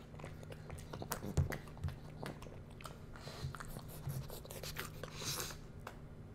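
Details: Bowser, a pug puppy, samples foods in a close-up taste test, reacting to each one; wet chewing and crunchy bites come in quick irregular bursts, with a breathy snuffle near the end, in a quiet room.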